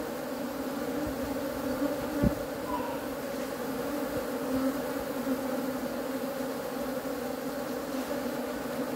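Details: Honey bees giving a steady continuous low droning hum with a sustained tone and overtones, unbroken throughout, plus a brief click partway through.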